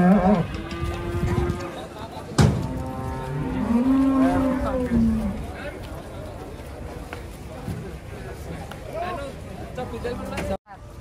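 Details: Giant cattle being unloaded from a truck give several drawn-out moos with arching pitch over the first five seconds, amid a sharp bang, voices and clatter, then quieter background noise.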